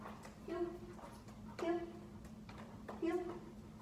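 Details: A 5-month-old Great Pyrenees/Black Shepherd mix whimpering during dog boot camp training in Augusta, Georgia: three high, thin whines about a second and a half apart, each with a steady tone and soft harmonics, over a low steady hum indoors.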